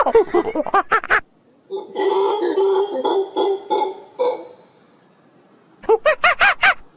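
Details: Forest monkey calling: bursts of rapid, harsh, pulsed barks open and close the recording, separated by a rougher, rasping chorus of overlapping noisy calls and a short pause.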